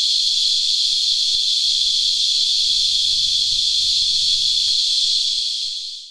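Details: Singing cicadas, known locally as Christmas beetles, sap-sucking insects making a high-pitched whine by rasping legs and wings; one steady, loud, unbroken buzzing drone fills the recording before fading out at the end, with faint low rumbling beneath.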